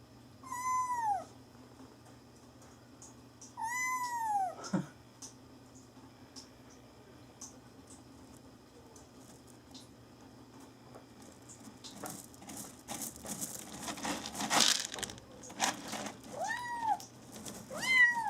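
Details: Pet kitten Mame Daifuku calls indoors with two loud, clear, downward-curving meows early on. A long stretch of rustling and shuffling follows, then several softer, shorter meows near the end.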